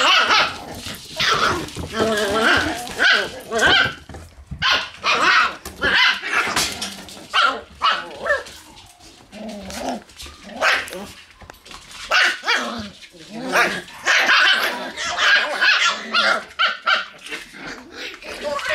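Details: Shiba Inu puppies in their room on a November 11 morning, barking in uneven clusters of short, sharp yaps that rise and fall in loudness, with occasional human speech underneath.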